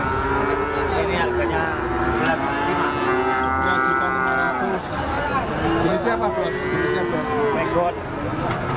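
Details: Several cattle mooing at once, long droning low calls overlapping and shifting in pitch, with a steady hum of crowd and engine noise underneath throughout.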